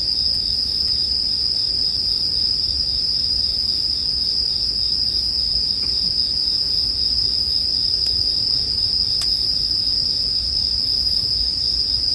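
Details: Bell crickets sing for sleep music with campfire sounds: a steady, high, ringing trill holds unbroken throughout, with a few soft crackling clicks from the fire behind it.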